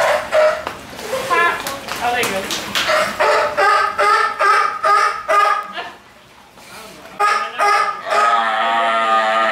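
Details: Maggie the sea lion barking in a rapid, uneven series of harsh, harmonic-rich barks, about two per second, with a brief pause near six seconds before the barking resumes; a person calls her name and offers food.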